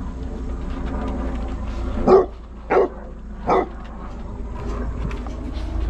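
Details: A pack of Basset Hounds hunts cherry tomatoes in their enrichment garden during cold weather; three short, sharp barks ring out about two-thirds of a second apart over a steady low background hum.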